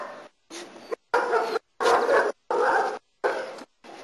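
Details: German Shepherd during protection work in Costa Rica barks hard and fast, about six harsh, loud barks in four seconds.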